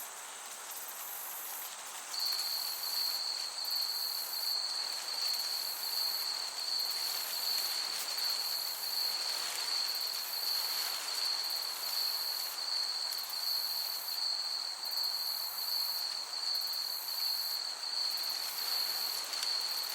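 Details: High, thin cricket sound in a summer meadow: a steady unbroken trill begins after about two seconds and runs on, while pulsed chirps repeat above it over a gentle breeze.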